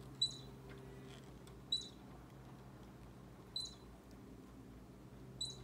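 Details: Baby squirrel squeaking close to Bushy, an orange cat whose tail twitches to its tempo; four short high squeaks spaced about two seconds apart over a quiet indoor hum.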